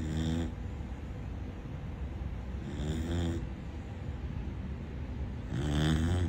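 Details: Sleeping Corgi puppy snoring too loudly, giving three harsh rasping snores roughly every two and a half seconds, each a short buzzy rattle on the inhale, with quiet low rumble in between.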